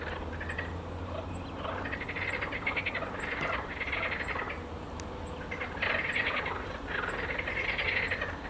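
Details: A chorus of marsh frogs gives loud, rattling, laugh-like croaks in bursts every second or two over a steady low rumble, while great crested grebes perform their courtship dance nearby.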